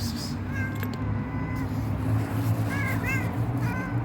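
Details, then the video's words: A resting stray cat meowing as it asks for food and care: a few short, bent, mid-pitched meows, some rising then falling, over a steady low hum and faint background noise. "Resting stray cat with cute meow asked for food and care"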